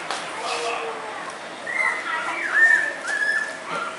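Shiba Inu puppies give thin, high whines that waver and slide downward in short bursts.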